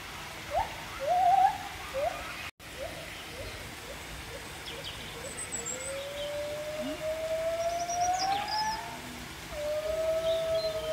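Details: At Chester Zoo in March 2024, two gibbons up on posts call: quick repeated hoots building into long, swooping whoops that climb in pitch, while children call back to them over crowd noise.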